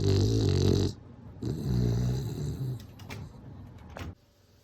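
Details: Sleeping bulldog snoring: two long, rough, low-pitched buzzy snores, the first about a second long, the second longer and trailing into a short wheezy whistle, in an otherwise quiet room.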